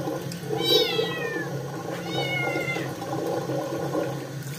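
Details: A Scottish kitten with dirty paws, being bathed, meows loudly because it does not want the bath: two drawn-out, falling, whiny meows about a second apart, over steady running water and a low hum.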